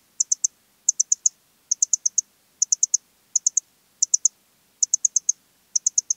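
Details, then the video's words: Eastern Stripe-headed Cricket (Modicogryllus frontalis) singing at Puntigam, Austria, on 10 June 2022: short high chirps of three or four rapid pulses, repeated roughly every 0.7 seconds in a steady rhythm, with no other sounds. "Modicogryllus frontalis -- Östliche Grille -- Eastern Stripe-headed Cricket"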